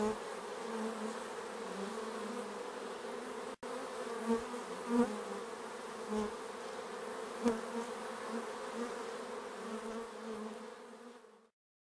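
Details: Bees around the hive make a continuous low drone, with several close fly-by swells and small taps, broken by a brief dropout and fading out at the end.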